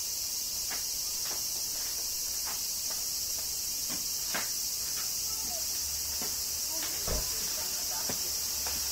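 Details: Summer cicada chorus in Kyoto, Japan, during rain: an unbroken high, hissing drone throughout, overlaid by scattered soft taps and clicks roughly every half second to second, with one louder knock near the end.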